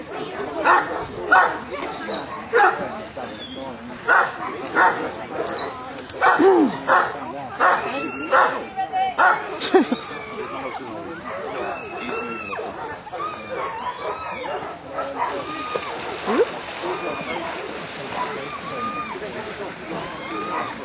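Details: Newfoundland dog Harry Potter at a water test on wave-tossed Lake Bala, Wales, barks in a long irregular string for about ten seconds, then quieter voices and water sounds take over.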